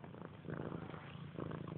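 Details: Domestic cat indoors, playing and attacking a blanket hanging off the side of a couch; a soft, low rumbling purr pulses steadily through the short stretch, quiet and close.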